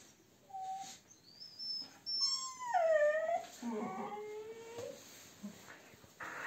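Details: Husky being brushed at a dog grooming salon in Ovcha Kupel, Sofia, voices a run of whiny, wavering howl-like notes: a short high tone, then drawn-out tones that bend down and slide, trailing into softer whimpers over about three seconds.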